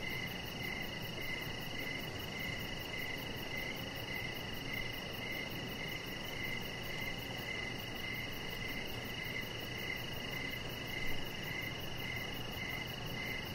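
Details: Crickets chirping outdoors in the evening beside a deck where a chihuahua puppy lies; short high chirps repeat steadily about every half second over a constant hiss and a low background rumble.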